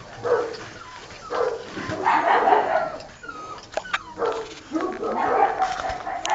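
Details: Six-week-old Old Tyme Bulldog puppies from a litter of three males and one female, newly weaned from their mother, give short yipping whimpers in bursts about every second, rising and falling, with soft rustling between calls.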